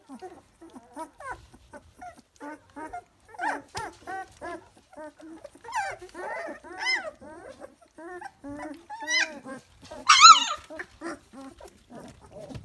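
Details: Three-week-old Dalmatian puppies whining and squealing in a steady run of short wavering cries, growing louder and higher near the tenth second with a shrill yelp, a voice faintly present.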